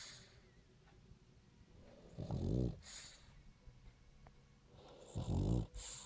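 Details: Sleeping French Bulldog Royo gives two loud, gravelly snores about three seconds apart, each a low buzzing rattle with an airy hiss on top. Soft breathing and faint room noise fill the gaps.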